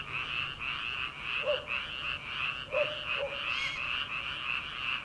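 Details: Early summer night chorus of paddy frogs, recorded before rice planting begins. Continuous buzzy trilling forms a constant wall of sound, joined by three short, deeper croaks.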